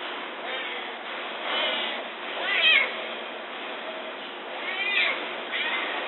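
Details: Newborn Amur tiger cubs, three in a zoo's behind-the-scenes den with their mother, filmed by remote camera while nursing; repeated high, wavering mewing cries rising and falling, with soft background hiss.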